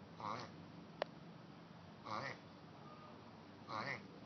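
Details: Mating turtles: one gives three short, nasal, duck-like quacks about every one and a half seconds, with a single sharp click between the first two.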